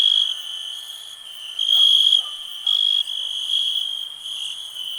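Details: Cricket chirping in a steady high trill, loud bursts swelling and fading every second or so over a constant ringing tone, with faint soft blips lower down.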